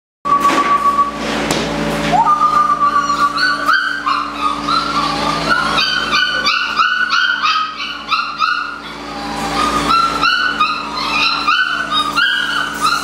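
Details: Several eight-week-old Malinois puppies, July 2015, socialized daily: a thin sustained whine opens, then overlapping high yips and squeaky barks pile up in a busy, continuous chorus, with a steady low mechanical hum underneath.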